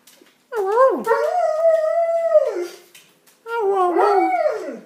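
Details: Indoors, a six-year-old keeshond crossed with German Shepherd 'talks' in two warbling howls. The first dips, then holds level before sliding down. The second is wavering and bending.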